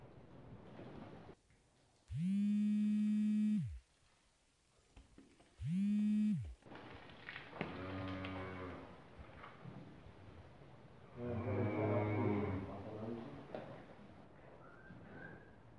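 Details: Breeding heifer on a farm in Kars, Turkey: two loud, flat, steady tones early on, then lower, rougher moo-like bellows near the middle and end, with background rustling and a brief voice.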